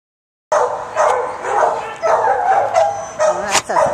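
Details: A dog barks in a quick series of sharp, repeated bursts, about two each second, with a faint human voice in the background.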